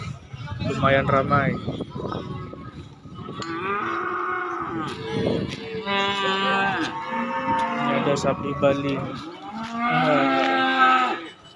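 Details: Calves and young bulls at a cattle market; a string of separate moos, some short and rough, others long and rising, with clanks and quieter lowing between them.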